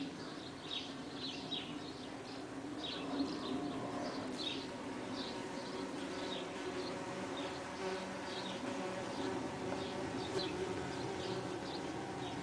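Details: Humming drone of Saxon wasps around their nest, recorded 23 June 2010; a continuous low buzz with shifting tones runs throughout, with frequent high bird chirps scattered over the top.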